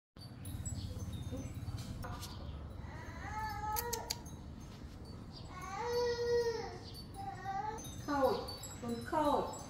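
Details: Domestic cats meowing: several drawn-out, arching meows spaced across the stretch, the later ones shorter and more insistent, over a low rumbling background with a few brief bright clicks.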